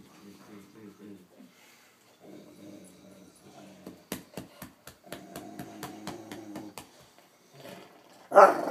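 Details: Bode, a Rottweiler Newfoundland mix, growls with happiness out of love for his mom: low, rumbling, pulsed growls in repeated bursts, with a run of sharp rhythmic taps through the middle and a sudden loud noise at the very end.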